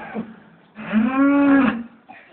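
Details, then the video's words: Farm cows bellowing in the farmyard in the morning, a week before slaughter: a short faint grunt, then one loud steady moo lasting about a second, rich in harmonics. "Baying Cows"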